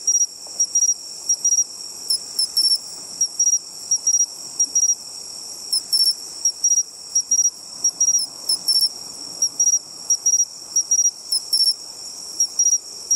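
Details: Bell crickets singing by the seashore, where they were sought out by ear: short, bright, ringing chirps in quick bursts over a steady high insect hum, with a soft low rumble underneath.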